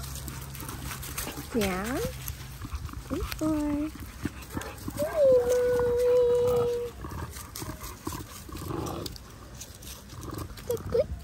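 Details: Linc, a baby Australian cattle dog, playing with bigger puppies in a paddock: drawn-out whines and yelps, some rising and falling, one held steady for nearly two seconds, with human speech and outdoor rustling.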